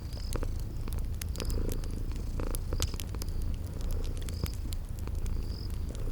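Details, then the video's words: Sleeping cats give a rumbling, steady purr by a crackling fire; crisp crackles and a handful of brief high chirps from the spring garden ambience sit over the low drone. "Sleeping Purring Kitties"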